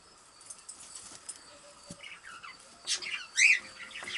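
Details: Baby kittens at play give a few short, high, arched mews late in the clip, following scattered scratching, tapping and rustling from their movement.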